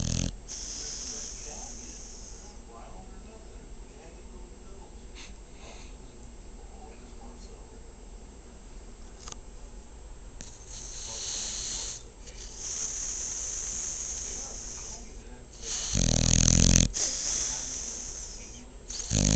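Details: Female dog asleep indoors, long quiet breathing then wheezy inhalations building to a loud harsh rattling snore near the end, with soft hissy breaths between.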